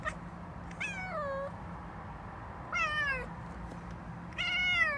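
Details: Domestic cat chattering and then yawning indoors: three drawn-out, falling mewing calls, each about half a second long and spaced roughly two seconds apart, over a steady low hum.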